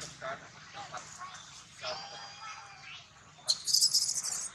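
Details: Newborn baby monkey crying angrily while its mother lulls it to calm down; faint murmuring cries give way to a loud, shrill, high-pitched scream burst in the final second, with quieter background chatter.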